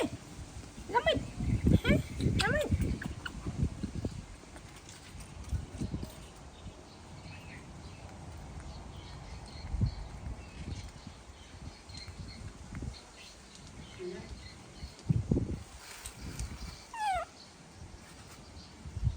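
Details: Baby monkey throwing a tantrum as its mother leaves: a few high, sharply falling squeals in quick succession near the start, one more later, over rustling, handling noise and people talking.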